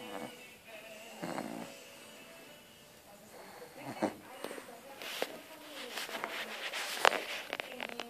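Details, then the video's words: Sleeping French Bulldog snoring indoors: rough, rasping breaths in uneven bursts, strongest near the start and around the four-second mark, then softer snorts and clicks, over faint steady background tones. "Schnarchende Französische Bulldogge"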